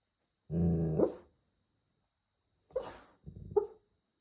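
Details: Golden Retriever sound asleep while away on a trip, snoring: one long, low, rumbling breath that rises at its end, then a pause and two shorter rasping snorts close together.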